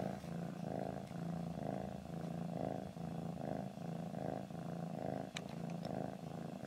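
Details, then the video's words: Domestic cat purring steadily, a low rumbling drone pulsing in even cycles a little under one per second, with a brief faint click near the end. "my lil cat purring"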